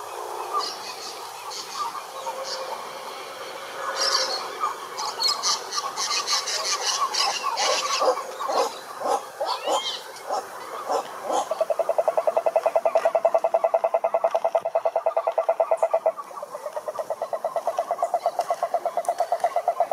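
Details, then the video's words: Wild cururu toads (Rhinella marina) in a lakeside chorus in Brazil's Atlantic Forest: mixed noisy calls and scratchy sounds early on, then a long, even, low pulsed trill that breaks briefly and resumes. "CANTORIA DE SAPOS CURURU"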